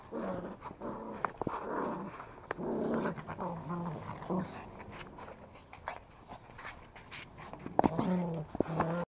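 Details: Toy Pomeranian growling during rope tug play in Kathmandu, Nepal; low rumbling growls run through most of the recording, rising in intensity near the end, with clicks and scuffling of play and occasional speech indoors.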